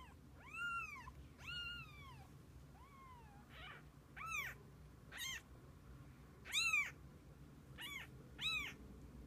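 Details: Kittens with their mother cat spending the day together: a run of about eight high, arched meows, each rising then falling, with rich harmonics, coming one to two seconds apart over a quiet indoor background.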